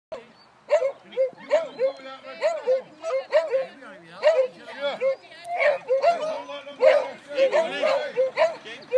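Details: Several beagles at a Scottish whippet racing club meeting in 2013, run up the track in a novice race, give rapid repeated baying yelps, roughly two a second, overlapping one another, with voices of people nearby.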